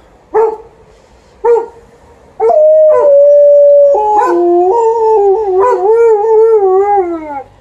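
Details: An Alaskan Malamute and a Golden Retriever "sing" together, howling in long, wavering, overlapping tones after a few sharp barks.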